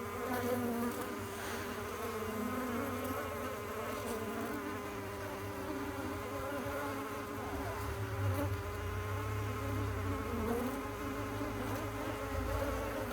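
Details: Continuous hum of honey bees, an even layered drone of overlapping tones holding steady throughout, with a low background rumble.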